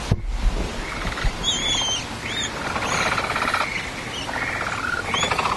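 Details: Adult male capybara disrupting a group's formation: runs of rapid clicking, purr-like pulses come in several bursts, mixed with thin high whistled notes and a low thump near the start.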